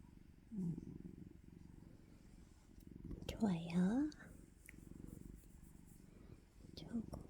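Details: Pet cat, freshly awake and wanting food, purrs with a continuous low throbbing rumble. A woman's cooing speech is heard clearly mid-way and again briefly near the start and end.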